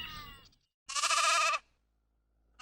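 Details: Sheep bleating: one sustained, wavering bleat of about three-quarters of a second with a rich stack of harmonics, preceded by the tail of an earlier call, then silence.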